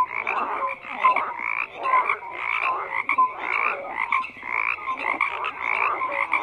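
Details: A dense mass of croaking frogs, their rattling, pulsed calls overlapping in rhythmic bursts roughly every half second, with occasional short tonal notes beneath.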